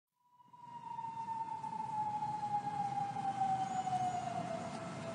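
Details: Wolf howling: one long sustained tone that starts high and slides slowly and steadily downward for about five seconds, with faint higher overtones, over a low rumbling background noise.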